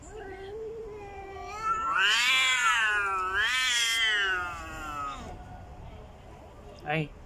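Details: House cat, female, angry at another cat: a low moan swells into two loud, high, wavering yowls over about three seconds, then fades, followed by a brief sharp sound and a woman's voice.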